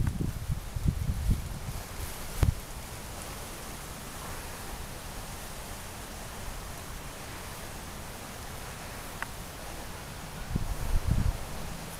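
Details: Steady outdoor rustle and broadband hiss with a few low thumps near the start and end, and no animal voice.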